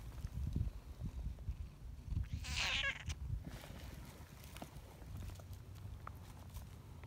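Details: Tortoiseshell community cat, friendly after years of wariness, kneading and seeking petting outdoors, utters a loud, drawn-out harmonic meow of nearly a second, rising then falling, amid soft rustling and low rumble.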